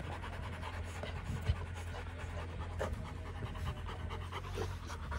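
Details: Rottweiler family after fighting, quick rhythmic panting breaths, soft and low, with faint voices in the background.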